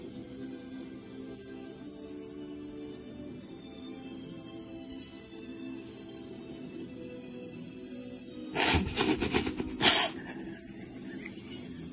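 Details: Soft background music plays throughout, interrupted near the end by a short burst of broadband rustling noise, with no animal call heard.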